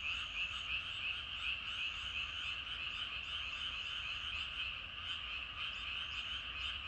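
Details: Frogs in great numbers calling from rice paddies at evening, overlapping croaks forming a thick chorus with a loose pulsing rhythm of roughly three beats per second.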